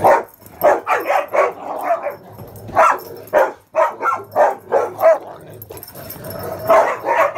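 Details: Several dogs playing on a bed indoors, one holding the bed while others try to get up, with a high-toned playing bark; quick irregular series of sharp barks and yips, some overlapping, with short gaps.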